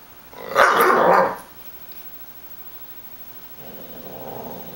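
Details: Female German Shepherd and Rottweiler cross puppy tearing tissues to shreds, giving one rough, noisy growl-bark lasting under a second. Faint rustling follows in a quiet room.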